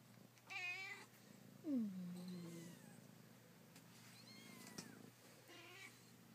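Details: Kittens calling: a high wavering mew, then a louder descending meow that drops into a low drawn-out tone, followed by softer faint mews later on, over a constant low hum.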